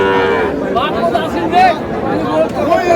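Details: Sahiwal calf bought by a Shariatpur farmer on 26 August, making short rising and falling lowing sounds in several brief bursts, overlapped by nearby human voices and busy outdoor chatter.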